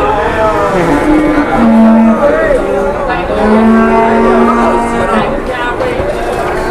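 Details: Cattle at an Indonesian farm, a large newly arrived cow among others, giving long low moos with steady tone that bend near the end, two main calls across the stretch, with people talking over them and vehicle noise behind.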